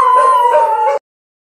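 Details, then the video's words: A dog holds a single steady, slightly falling howl with rich overtones for about one second, then it cuts off abruptly into silence. "犬はあなたの心を喜びで満たすことをしました 😂 おかしな犬の動画"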